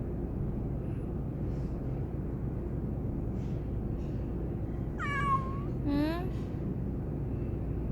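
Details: A talkative domestic cat answering its owner: two meows in quick succession after a long quiet stretch, the first falling in pitch and the second rising, over a low continuous hum.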